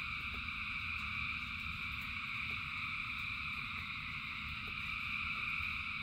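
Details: Frogs in rain singing together by the thousands: steady, overlapping high trills forming a continuous buzzing hum, with a low rumbling undertone and a few faint clicks.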